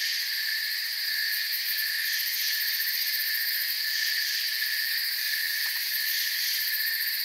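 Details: Many crickets calling together in a forest: continuous high, ringing trills stacked in bands, steady in loudness, with a brief faint tick partway through.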